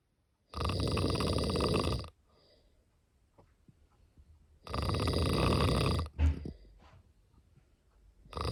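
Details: A sleeping cat gives two long, gravelly snores about four seconds apart. A short snort follows the second, and a third snore begins at the end.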